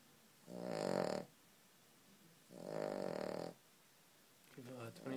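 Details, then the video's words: Loud dog snoring, two long rasping, harmonic breaths about two seconds apart, followed by a short burst of a human voice at the end. "loud dog snore"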